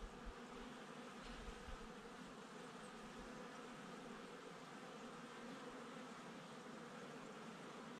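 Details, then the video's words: Steady hum of bees at a hive, Domaine Saint-Antonin, Jouques, Provence, France, recorded 12 May 2019; continuous buzzing drone with stacked tonal layers, unbroken throughout, a faint low rumble at times. "Minute Ressource & Ruche (Abeilles - PACA - Provence - Jouques)"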